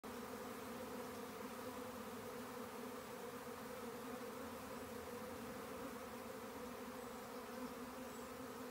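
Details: Honey bee swarm searching for a bush in which to settle: a steady, even hum with two low droning tones, unbroken throughout, with no other sounds.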